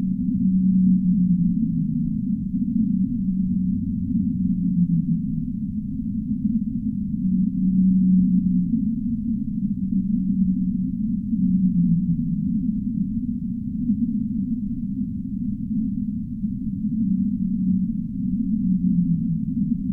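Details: Humpback whale song as a sleep soundscape: a string of low moaning phrases, some held and some dipping downward, with a short deeper groan early on, carried on continuous low filtered rumbling throughout.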